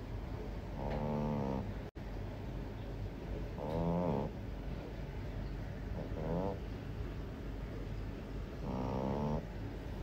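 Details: Sleeping French Bulldog puppy snoring, four raspy, buzzy breaths spaced two to three seconds apart, set against constant loud background noise with a brief dropout early on.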